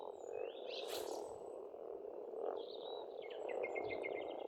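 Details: Frogs croaking together in spring at an Estonian pond form a constant low chorus. A bird adds a sweeping rising call near the start and a fast trilled phrase toward the end.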